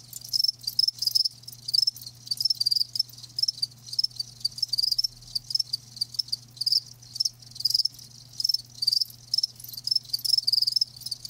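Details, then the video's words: Chirping of live crickets: sharp high trilled pulses in clusters roughly every half second, a chorus of overlapping insects, with a quiet low hum throughout. "Live Crickets 60min "Natural Sound""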